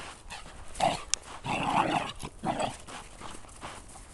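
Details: A pet dog going crazy, giving a run of short, rough, excited barks and yelps in bursts, with broadband scuffling noise between calls.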